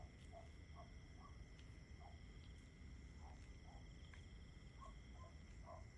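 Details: Steady, unbroken cricket trilling sits high and constant throughout, with scattered short low calls popping up irregularly over a quiet, hissing night background.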